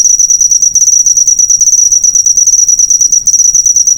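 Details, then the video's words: Cricket sound used to teach cage birds, shrill pulsed chirps at one high pitch in quick succession, a short break just after three seconds, otherwise steady. "Masteran burung suara jangkrik mewah yg paling di cari"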